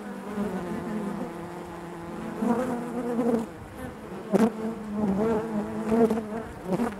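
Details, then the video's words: Honey bees buzzing within the hive, a rich low drone with clear harmonic bands, punctuated by several loud close buzzes and a sharp click-like burst midway. "bees therapy hive natural buzzing sound"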